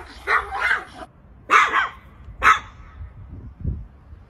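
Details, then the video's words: Little Chihuahua barking at a cat, guarding like a small guard dog: three sharp, bright barks about a second apart, the first a doubled burst, over a low background rumble. "Chihuahua Barking Dog Bark Sounds. Little Chihuahua Barking at a Cat"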